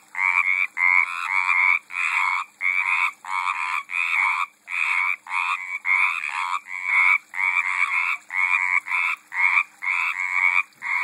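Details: Frogs in a garden pond, 2012, calling in steady runs of harsh, trilled croaks, each burst under a second and repeated with brief pauses, several voices overlapping.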